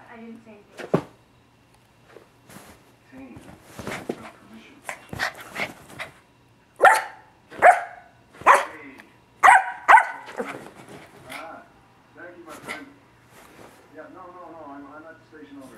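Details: Yorkshire Terrier puppy still running around at 1 a.m., giving a string of sharp, high barks, most bunched in the middle, one every second or so, with softer yips and a person talking between them.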